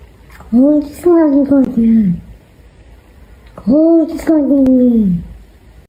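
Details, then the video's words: A talking cat gives two long, drawn-out meows, each about one and a half seconds. The pitch wavers, then slides down at the end. A short pause separates the two. "Funniest talking cats"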